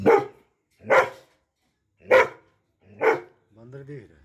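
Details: Doberman barking loudly, four forceful single barks spaced about a second apart, followed by a man's voice trailing off at the end.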